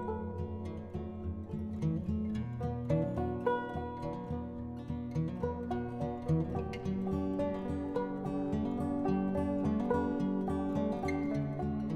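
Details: Gentle plucked-string music plays throughout, with no birdsong or other animal sounds heard.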